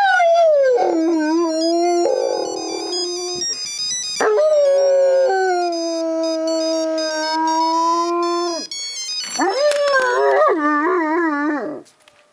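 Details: Pet dog howling in reply to a ringing phone: long sustained drawn-out howls that slide down then hold steady, tone rich in overtones, electronic ringtone chiming alongside, ending with a wavering higher howl and a sudden stop.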